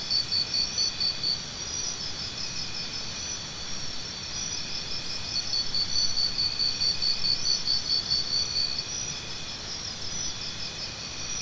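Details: Crickets chirping in a steady high-pitched chorus, with one bright pulsed trill standing out in rapid regular bursts of about two per second, over a constant hiss of many insects and faint low rumble.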